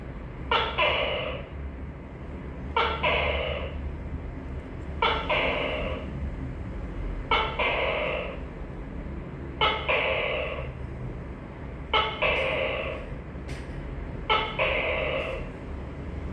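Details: Seven repeated two-syllable calls of a tokay gecko, evenly spaced about every two and a quarter seconds: a sharp clipped onset, then a sustained harsh nasal note. Faint clicks can be heard near the end over a low background drone.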